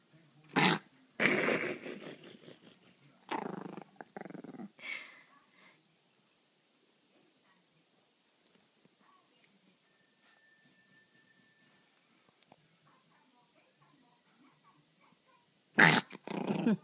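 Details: Adult Pomeranian growling while playing with a string toy: rough, broadband growls in several bursts over the first five seconds, then near silence with faint background noise, and a final loud growl near the end.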